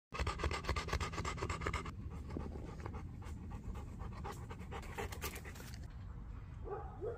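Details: Bernese Mountain Dog panting in a park where it runs, sniffs and chases squirrels; rapid, rhythmic, breathy pants about twice a second for two seconds, then rustling and rubbing noises.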